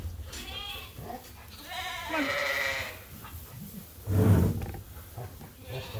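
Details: Sheep at Ewetopia Farms waiting at feeding time, a couple of blurred, wavering bleats amid heavy low rumble and clattering farm noise.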